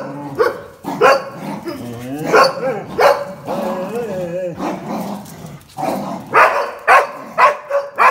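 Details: Jack Russell Terrier and two Border Collies tussling over a towel in a tug game, mixing warbling growl-whines with bursts of barking, the barks quickening toward the end.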